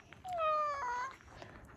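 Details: Chako, a stray cat living in a car park, meows at a person on first meeting before being given a treat; one drawn-out tonal meow, starting higher then sliding lower and rising again at the end, with soft speech nearby.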